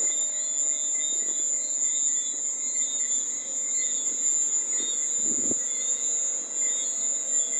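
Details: Cricket. A cricket sings a continuous, shrill, high trill that holds an even pitch throughout. A brief low thump sounds near the end.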